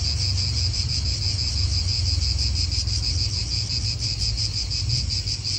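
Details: Cicada chorus in an Italian park outdoors, an unbroken high-pitched rasping buzz with quick throbbing pulses, backed by low wind and traffic rumble.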